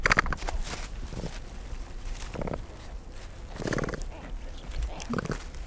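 A capybara calls in brief, nasal bursts, part squeak and part grunt, spaced a second or two apart. A steady low rumble runs underneath throughout.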